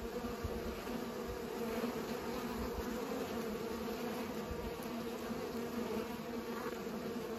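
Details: Steady, even buzzing from bees at work pollinating, a layered hum that holds at a constant level without pauses.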